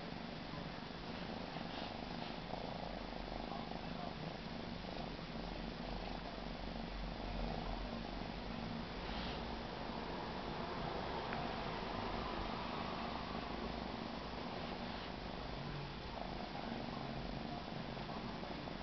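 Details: Continuous low, throbbing purr from a male Siberian kitten, even and unbroken for the whole stretch, close up in a quiet indoor room.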